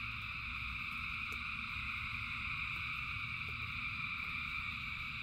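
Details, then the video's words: Rain-soaked frog chorus of thousands of callers, a ceaseless high-pitched trilling drone in layered bands that never pauses, carried over a deep, even background rumble. "Frogs in Rain 2 Hours of Frogs, Thousands of Frogs Singing"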